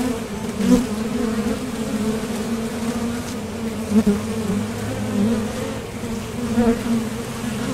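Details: Steady drone of many honeybees flying in and out at a top bar hive entrance while foraging for nectar, a continuous low hum with short surges near the first, fourth and seventh seconds as bees pass nearby.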